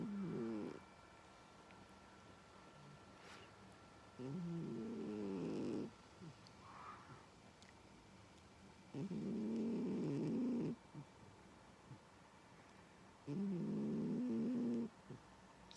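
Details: Sleeping domestic cat snoring very loudly: four rough, buzzing, low snores, each lasting about a second and a half, returning roughly every four to five seconds with quiet breathing pauses between.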